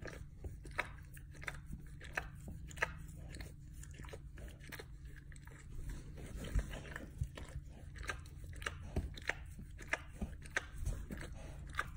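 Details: Wet chewing and crunching sounds repeat close by indoors over a low steady hum, with no animal voice. Sharp clicks and smacks break through at irregular intervals, and a faint voice is barely audible.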